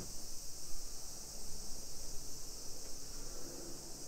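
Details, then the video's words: Cicadas sing in summer in a hillside neighborhood near Nagoya, Japan, at 1 PM, July 2021. A brief, even, shrill buzzing wash fills the top of the sound while a soft low rumble pulses underneath. "Summer Cicadas Sounds"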